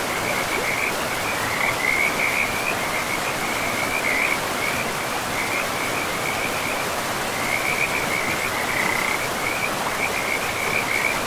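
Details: Frogs by a river in a pristine forest, giving rapid trilled croaks at a steady mid-high pitch, repeating in runs through most of the stretch over a constant rushing of flowing water.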